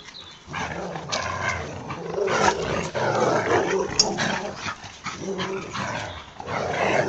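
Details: Labrador and boxerdor dogs playing tug of war, giving throaty growls in broad rough bursts with pauses between, some louder snarls near the middle and end.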